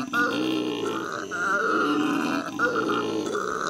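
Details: Captive howler monkeys at the L.A. Zoo, recorded in May 2014, howling: a continuous, deep, rough roaring drone rich in overtones, broken by brief catches for breath.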